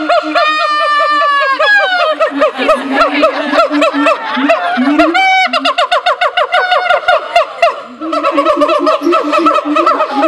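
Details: Siamang at a zoo in full loud calling: a long, dense stream of fast, bouncing harmonic barks and a high rising wail, underpinned by steady low booming pulses throughout.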